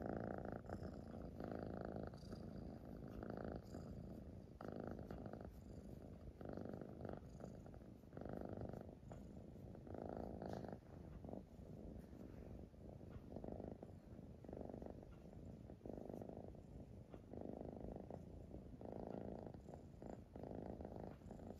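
A Siamese cat purrs steadily, a low rumbling throb that swells and fades with each breath.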